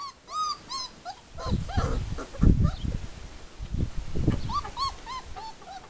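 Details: Four-week-old pups at the Le Domaine des Pertins kennel, Formule 1 / Callie litter, with short curved squeaky whimpers at the start and end separated by heavy low thuds of handling.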